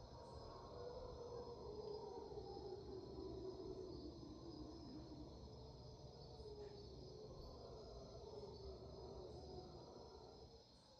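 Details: Dawn chorus of mantled howler monkeys at 5am in Panama's rainforest, March 2023. A low, rough, sustained roar slowly sinks in pitch, with a constant shrill buzz of insects above.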